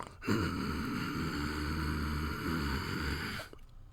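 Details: Puppy growling in one steady, low, rough rumble lasting about three seconds, with a rasping buzz and no breaks, then stopping abruptly.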